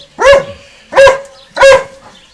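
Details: Dogs at a garden fence exchange barks. Three loud, clipped barks are evenly spaced about seven-tenths of a second apart, with a faint tonal hum between them.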